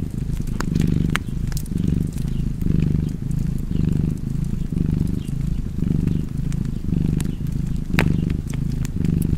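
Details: Cozy cat purring near a crackling fire: deep, buzzing rumble rising on each breath in and out, roughly once per second, with scattered snaps of burning wood over the top.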